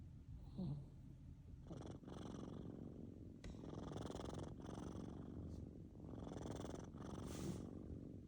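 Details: Sleeping kittens snoring softly indoors: a low, rough rumble that rises in and out with each breath, several breathing cycles separated by brief quiet gaps.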